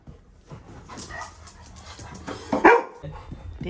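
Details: Labrador Retriever puppy guarding its home as a visitor comes inside: one short, sharp bark stands out against quiet indoor background hum, with a person murmuring just afterward.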